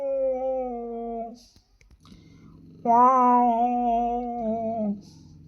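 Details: Domestic cats in heat, male and female, indoors: a steady moaning wail, then a low growling rumble, followed by a louder, wavering two-second yowl over continuing low growls.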